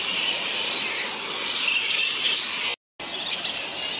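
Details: Large colony of grey-headed flying foxes, fruit bats roosting on the New South Wales Mid North Coast, Australia: a dense, unbroken wash of shrill overlapping squeals and chatters from many animals, cut by a brief silent break near the end.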